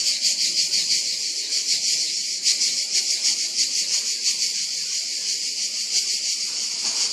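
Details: Singing cicada producing an unbroken shrill buzz, throbbing in regular pulses roughly three times a second, steady in loudness from start to end.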